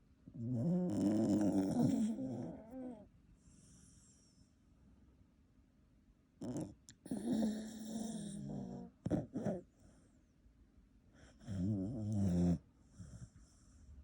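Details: A Shiba Inu asleep in bed beside its owners snores in low, rattling bursts that rise and fall with each breath.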